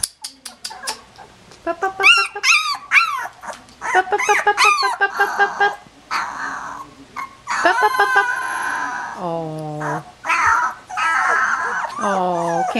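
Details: Sixteen-day-old collie puppies make a busy run of short rising yelps and squeaky whimpers. Deeper moaning cries follow later, mixed with rustling.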